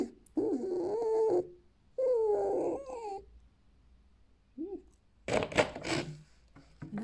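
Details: Alf, a pet fiery red fox bred in captivity on a fur farm, indoors, shedding and playing with a fish toy, giving a lazy evening ururu: two drawn-out wavering whine-like cries, a short chirp, then rustling thumps.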